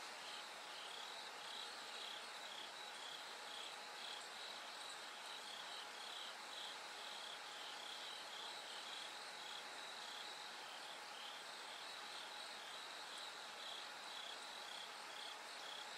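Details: Bell cricket singing at night as it gradually grows brighter toward dawn: short, high, bell-like pulses repeated in bursts above a steady dense hiss of other insects, with a faint sustained lower tone throughout.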